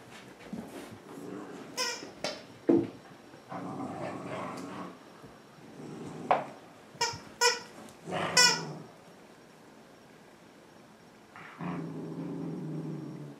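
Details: Two dogs, Lily (a larger Miniature Pinscher/Manchester Terrier mix) and Joby (a Toy Manchester Terrier), playing together indoors in the afternoon: low rumbling growls alternate with sharp, high yips and short squeals in uneven bursts.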